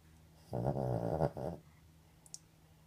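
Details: Sleeping dog snoring: one long, low, rasping snore lasting about a second, broken into rapid pulses, then quiet breathing in a still room.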